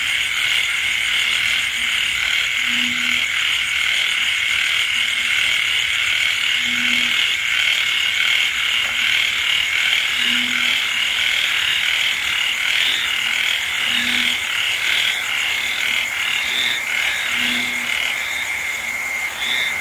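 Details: Frogs calling with insects through a rainy night. A steady, dense high chorus with a sharp tonal band carries on, while low, brief hooting croaks repeat irregularly every couple of seconds.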